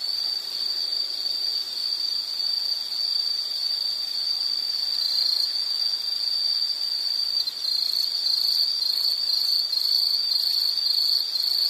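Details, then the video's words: High-pitched insect trill rings almost without pause in a soothing nature-sound setting, steady and thin, with a second higher faint buzz and light hiss beneath. "Nature Sound of nature sounds scenery L · insect"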